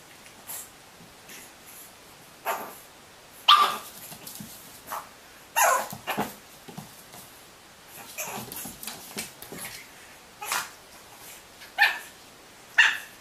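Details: Several pug puppies give scattered, irregular short yips, along with a couple of brief thin whines, against a quiet background with light rustling between calls.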